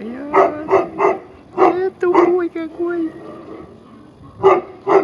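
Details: Tibetan Mastiff from a St Petersburg kennel, Russia, 2015, reacting to its reflection: a quick run of three barks, then a drawn-out whine mixed with a woman's Russian speech, then two final barks.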